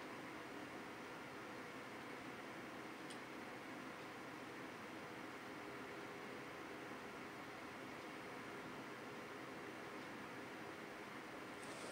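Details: A steady, broadband hum like a fan or air conditioner fills a small room, with no animal calls.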